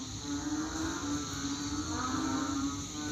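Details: Chorus of banded bullfrogs after overnight rain, sounding like rice fields: continuous deep moaning notes overlap into a low droning hum, with slight swells in loudness around the middle and end.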